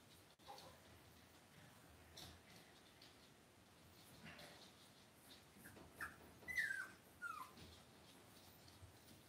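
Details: Cavalier King Charles Spaniel puppies raised indoors in a home puppy pen; after a stretch of quiet room noise, three brief, high, thin whimpers come late, the middle one longest and sliding downward, with soft rustling and handling sounds around them.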